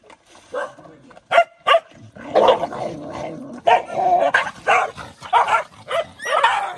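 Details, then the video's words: Mother dog fighting to protect food for her puppies, letting out harsh, noisy barks and growls in uneven bursts, two sharp loud snaps early on, with scuffling and overlapping noise throughout. "Poor mother fighting for protect food for puppies"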